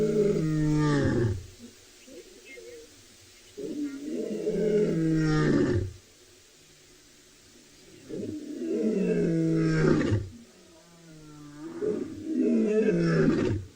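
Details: Lions in Tswalu Kalahari Reserve, South Africa, at sunset on 2 July 2020 give deep, moaning contact roars every few seconds, heard from a distance, calling to reunite and regroup the scattered pride.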